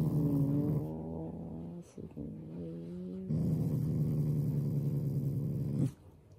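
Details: Shiba Inu kept as a loving family pet, growling playfully as a show of affection rather than anger; deep rumbling growl with layered tones, a short burst, a brief pause, then a steady sustained growl of about two and a half seconds before stopping.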